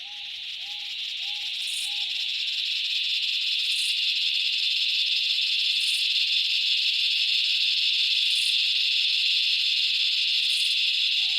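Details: Summer cicada chorus from the Australian bush. A dense buzzing drone rises in volume during the first seconds, then holds steady, with a few soft repeated low hooting notes near the start.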